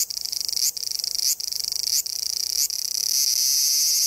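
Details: A cicada in the woods beneath the Yoro Mountains in Japan, on a summer-heat morning hike toward Sekigahara, gives a loud, high, shrill buzz, broken by brief pauses before running on unbroken.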